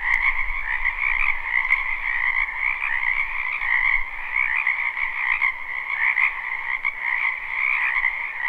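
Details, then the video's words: Spring wetland frog chorus, recorded live without looping behind a house: countless overlapping croaks merge into a steady shimmering trill, the higher band brightest, with faint low rumble at the start. "Ambient Noise for Sleep Frogs Black Screen"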